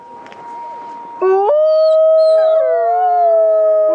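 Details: Gray wolf at Asahiyama Zoo, Japan, during the winter snow-light evening event, gives a long, steady howl that jumps up, then holds a clear, slightly wavering tone.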